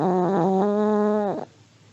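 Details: Elderly Pomeranian asleep and snoring: one drawn-out, nasal, tonal snore lasting over a second, holding a steady low pitch with a small step upward, then fading into a quiet room.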